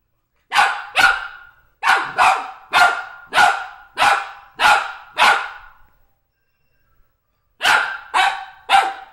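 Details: Golden Retriever objecting to felt drum beaters with a rapid run of about nine harsh, mid-pitched barks, a pause of about two seconds, then three more barks in quick succession. No other sounds are heard.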